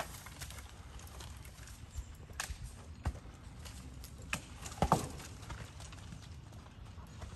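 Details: A Kentucky Mountain horse gelding named Poncho, 15 hands tall and 12 years old, moves through the woods. Sharp hoof strikes land at an irregular pace, a loud knock cluster near the end, over a low rumbling outdoor background.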